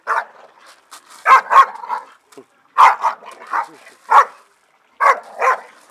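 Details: Two Staffordshire Bull Terriers having fun in a garden give sharp, gruff barks, often in quick pairs, with short pauses between.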